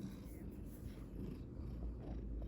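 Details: Pansy Mae, a very small dog, snores heavily while sleeping: a steady, soft, low rumble that continues through the clip, with no other clear sounds.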